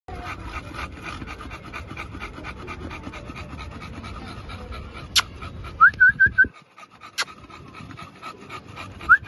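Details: American Bully puppies panting in soft, steady breathy bursts, with brief high whistled whimper-like chirps and a couple of sharp clicks near the end.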